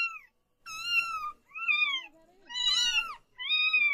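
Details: Four drawn-out kitten meows in quick succession, flat to gently falling, high and clear with many harmonics, one louder and more strained than the rest.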